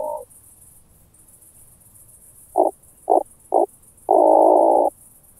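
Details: Oak bush-cricket at Starnberg, Germany, 18 July 2023, heard via a Pettersson D 100 ultrasound detector: end of one burst, a gap, three quick ticks half a second apart, then one long, loud buzzing burst; faint background hiss.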